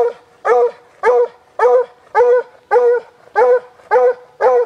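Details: A rescued Walker Hound of a deer-hunting strain gives excited, rhythmic bays at a deer it has spotted in a Guelph, Ontario park on a hot summer day in 2012. Nine short, even barks come about every half second.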